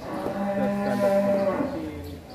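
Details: A very large cow being readied as a Qurban sacrificial animal gives one long, steady, low moo lasting just over a second, holding an even droning pitch before fading, with faint background murmur.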